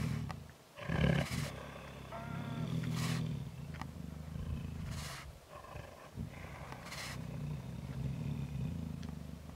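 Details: Young wild tigers in South Africa squabbling over a kill to settle hierarchy: continuous deep rumbling growls with several harsh snarling bursts spaced a couple of seconds apart.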